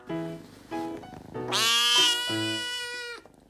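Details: A rescued stray kitten, hoarse from days of crying to be let out of its room, gives a series of raspy meows, the longest drawn out and strained.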